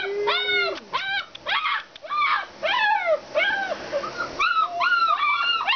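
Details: An Alaskan Malamute at a kennel gives a drawn-out steady howling note, then a string of loud arching yelps and whines, roughly two per second, with a brief pause before the calls resume.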